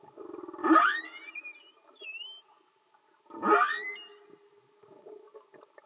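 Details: Humpback whale singing underwater: two loud, harmonic-rich upswept cries about three seconds apart, each rising from low to high, trailed by shorter high whistled sweeps and a faint steady background hum.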